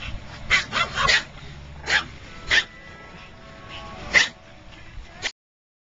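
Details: A dog in a car gives bursts of barks, a quick cluster at first, then single barks spaced about half a second to a second and a half apart, over a constant low engine hum, ending abruptly.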